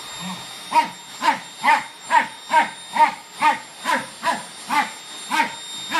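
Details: Fox terrier Rek confronting a Samsung vacuum cleaner, giving clipped barks roughly every half second after a short low opening sound, with a thin electric tone running underneath.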